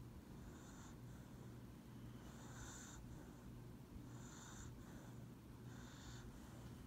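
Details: A dog called Lucybelle sleeps on a person's lap, giving quiet rhythmic snores, each a hissy nasal breath about every one and a half seconds, with a constant low hum underneath.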